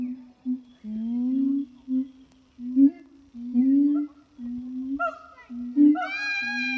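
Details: Captive siamang gibbon pair in France singing one hot August morning: steady low rising booming hoots repeated, joined near the end by loud bright harmonic swooping calls climbing in pitch.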